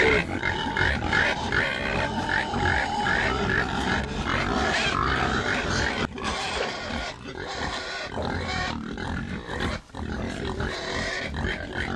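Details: Pig (Sus scrofa domesticus), grunts and squeals.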